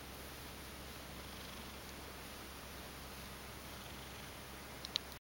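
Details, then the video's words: A Ragdoll cat, woken from sleep and half asleep, purrs softly and steadily with pleasure while being stroked, a low continuous rumble of affection. "【猫のもじお君（ラグドール）】 寝ぼけながら甘える猫 【Cat has been spoiled Mojio (ragdoll)】"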